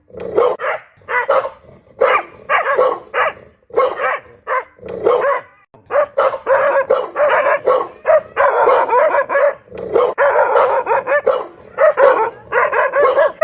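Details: A dog barking loudly and persistently, about thirty harsh, ringing barks over thirteen seconds, spaced at first and then running nearly continuously in rapid bursts.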